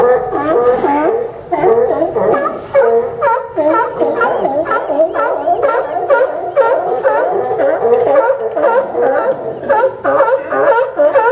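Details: Crowded sea lion haul-out at the Newport Sea Lion Docks, Oregon, in September 2015, with many animals barking at once; rapid honking barks, about two per second, pile into a continuous raucous din.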